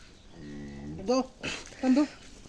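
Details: Holstein Friesian cow calving on a Bangladeshi dairy farm, bull calf born: a soft low moo of about half a second, then loud Bengali speech from people helping the delivery.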